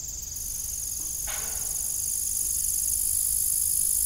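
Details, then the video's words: Evening crickets at an old farm windmill: a steady, high, shimmering trill holds throughout, with one brief metallic creak from the rusty windmill near the middle. "Evening Cricket Sound"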